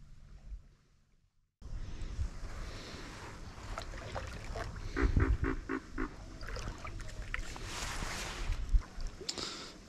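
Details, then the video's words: A pig frog in a Louisiana bayou gives a quick series of low, hoarse, pig-like grunts over kayak paddling noise. "now the grunting that you're hearing is from a pig frog"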